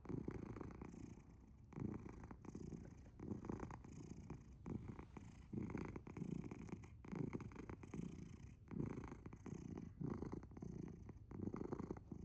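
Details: Dozing cat Asher purrs so loudly it resembles snoring; deep rumbling bursts alternate with brief softer gaps, repeating evenly roughly every seven tenths of a second across the stretch.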